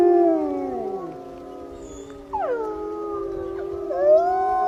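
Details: Several wolves howling together, long smooth tones overlapping, one gliding downward while others rise and hold, with a sharp upward-swooping howl joining midway.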